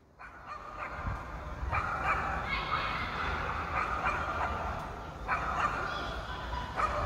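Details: Pet dog left alone in an apartment for about three hours while its owner was away, barking at neighbours' annoyance: rapid, irregular sharp barks in bursts several times per second, over a steady indoor room hum.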